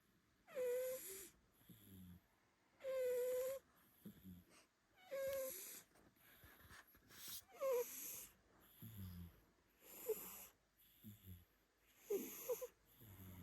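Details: A cat snoring, shifting from true snoring toward purring: a wheezy, whistled tone on each breath, repeating about every two to three seconds, alternating with soft low snorts on the other breath.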